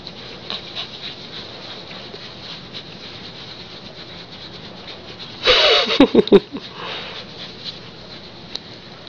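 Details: Pet female Siberian Husky that seems to want to tell her owner something: one loud, short, rough bark-like burst about a second long midway through, with quiet rustling and pattering before and after.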